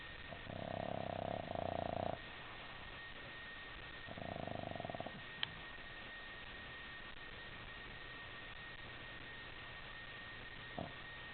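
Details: Boston Terrier puppy snoring in its sleep while twitching, indoors; two rough, buzzy snore bursts, one of about two seconds and a shorter one around four seconds in, then faint quiet breathing with a steady background hum.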